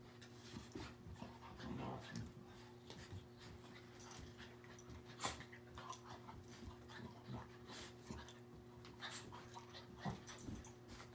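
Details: Labrador retriever named Raspberry, a rescue dog available for adoption, breathing in soft, quiet, irregular breathy bursts of panting, with a few sharper clicks and a steady low mechanical hum underneath throughout.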